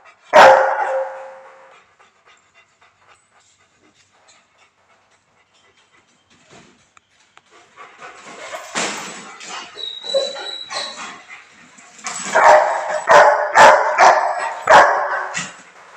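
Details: A Rottweiler named Rocky Bear Balboa, on Koh Samui, Thailand, gives a deep, harsh bark, then a run of rough, aggressive barks after a pause.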